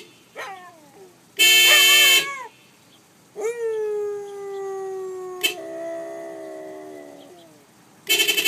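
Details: Pet Siberian Husky singing along with a car horn: short horn blasts alternate with long, smooth howls that slide slowly downward in pitch with rich overtones, the dog answering each honk; a final horn burst closes.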